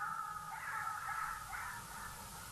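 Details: In the evening at Naledi Dam, jackals give a run of high, wavering yelps and wails rising and falling in overlapping bursts over a low rumble. They are likely alarm calling at lions nearby, perhaps rallying at a kill, while an eagle owl drinks.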